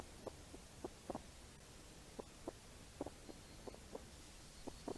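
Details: Soft, irregular snuffling grunts from wild hedgehogs, short low puffs in uneven clusters, as they forage for apples under steady rainfall.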